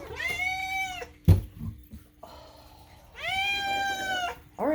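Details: Indoor pet cat, one of rescue adoptees Moo and Daisy, lets out two long, loud, steady meows about two seconds apart, separated by a sharp knock and a brief low human murmur.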